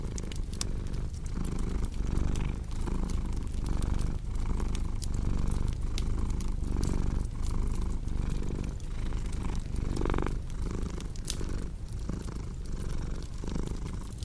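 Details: Purring cat paired with a crackling fireplace for deep sleep; a rhythmic low rumble beats with the breath, inhale and exhale phases clearly alternating, while sharp crackling snaps from the fire punctuate throughout.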